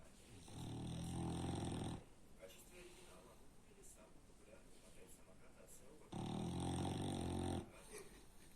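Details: French Bulldog snoring very loudly. Two long, throaty, rattling snores about one and a half seconds each, roughly four seconds apart, with quiet breathing between them.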